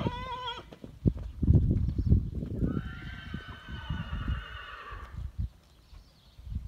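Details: Pura Raza Española horses fighting as a new young stallion joins the herd of horses and mares. A short harmonic whinny opens, then a sustained tonal squeal lasting about two seconds, over heavy low thuds of hooves and scuffling.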